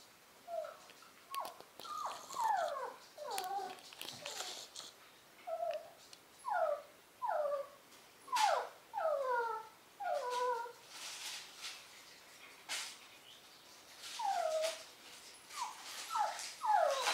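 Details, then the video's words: Poodle puppies of a litter whimpering and yipping indoors in a small room: many short high squeaky whines, rising and falling, overlapping in bursts with brief pauses, several pups calling at once. "Poodle puppies"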